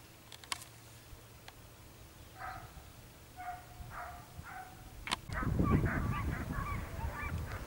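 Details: Segugio Italiano hound Sofiko on a hare hunt in Evros, Greece, 22 October 2023; a run of distant, hoarse, tonal baying notes in quick succession, then louder rustling and crashing close by with more broken yelps over it.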